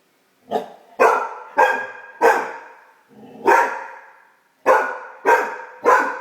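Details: A female Great Dane puppy, just discovering her bark, barks loudly at her own reflection in short bursts, each bark ringing briefly in an echoing room.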